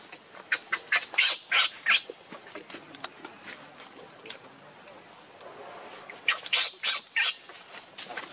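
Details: Newborn baby monkey crying and begging its mother for milk, described as very hungry; shrill, high-pitched squeals come in two rapid clusters, roughly three per second, separated by a few quiet seconds.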